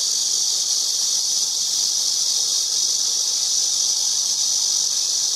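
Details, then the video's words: Cicada singing in a steady, unbroken hiss-like drone, high and even in loudness for the whole stretch, with no pauses, pulses or other clear sounds. "매미 소리"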